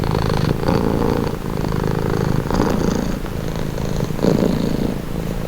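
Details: Domestic cat purring steadily, presented as a calming, relaxing sound; a low, continuous rumbling purr with a soft pulsing rhythm and slight swells in loudness through the clip.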